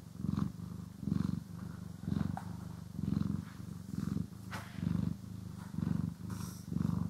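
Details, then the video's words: Cat purring contentedly while groomed and brushed, stereo recording; deep rumbling purr in even bursts, about one every 0.8 seconds with each inhale and exhale, faint brushing ticks above. "CAT ASMR | Purring, Grooming & Brushing"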